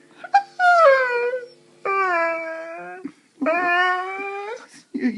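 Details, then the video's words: Female Saluki at home, vocalising as though complaining about her day; three separate drawn-out howling moans, each roughly a second long, with brief whimpers and a woman's voice asking if she is having a bad day. "Our Saluki Tiggah Talking"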